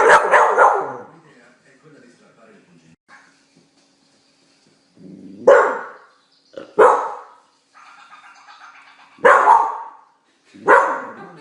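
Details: Blue heeler Australian Cattle Dog reacting to the television with loud, isolated barks spaced one to three seconds apart, between quieter stretches of Italian narration.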